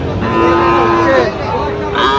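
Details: Sahiwal bull calves at the Raniganj cattle market, Ghoraghat, Dinajpur, Bangladesh, on Thursday 18 December 2025; a drawn-out tonal moo with a wavering pitch, over steady crowd murmur and market noise.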